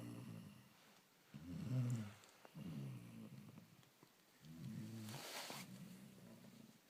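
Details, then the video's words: Lion snoring: deep, rumbling low breaths in long drawn-out bursts with quiet gaps between them, about four snores in the recording, with a brief hiss of breath partway through. "Lion Snoring"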